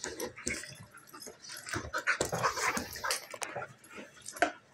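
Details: German Shepherd puppy almost a year old and a Golden Retriever mix, both female, play fighting; broken growls, yips and whines in irregular bursts over scuffling and rustling, with a louder sharp yelp near the end.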